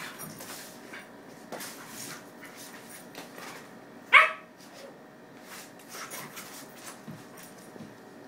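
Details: Two Schnauzers, a ten-month-old Miniature and a two-month-old Standard, playing together indoors; a single sharp, high yelp rings out midway, surrounded by quiet rustling and soft scuffling of the play.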